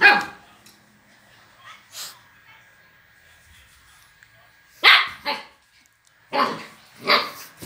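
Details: Playful Siberian Husky puppy, a female, barking: short sharp barks, one at the start, a cluster near the fifth second and two more toward the end, with quiet gaps and soft rustling between.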